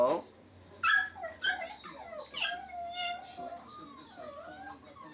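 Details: Male pet Chihuahua crying like a cat indoors, a long drawn-out whining cry that wavers and dips in pitch for several seconds, after a woman speaks briefly to him.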